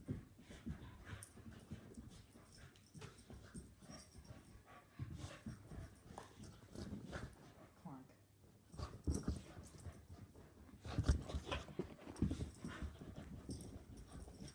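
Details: Two Soft-coated Wheaten Terriers, an adult dog and a puppy, play fighting indoors; low rumbling growls and scuffling run throughout, with louder bursts of snarling near the end and a person's voice now and then.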